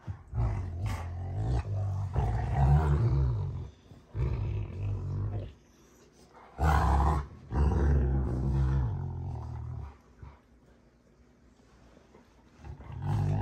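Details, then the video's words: Rottweilers June and Kenai play fight, making low rumbling growls in irregular bursts with quieter gaps between them. "Rottweiler WWE SMACKDOWN! (June Vs Kenai)"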